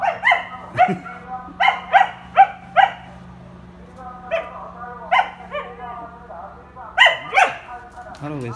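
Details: Samoyed in an irritated mood, giving a run of short harmonic yips and barks, about two per second in bursts, then a pause and a final sliding whine, while a person asks why it is angry.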